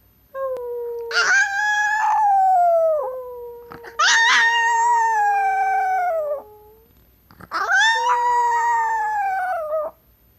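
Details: Female pet Chihuahua that loves to talk and howl: three long, drawn-out howls of about two to three seconds each, steady and strongly harmonic, sliding slightly down at the ends, separated by short quiet gaps.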